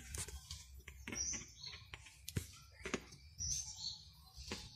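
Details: Domestic squirrels, little ones and a giant squirrel, asking for food: thin, high squeaks and short chirps in quick irregular bursts, some sliding sharply, mixed with soft clicks and taps in a small indoor space.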